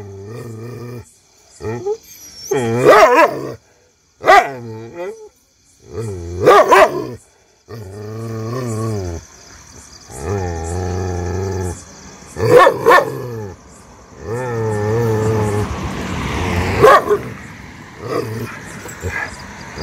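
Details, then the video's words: Street dog barking at unknown people, giving a series of harsh, drawn-out barks and growly howls with strong harmonics, in bursts separated by short pauses over about twenty seconds; faint background noise between calls. "shiro barking on unknown people"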